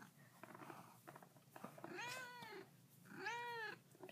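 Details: Two-week-old kittens, eyes newly opened, kept with their mother in an indoor closet; two plaintive arched meows, each about half a second, rise then fall, with soft rustling and handling noises between them.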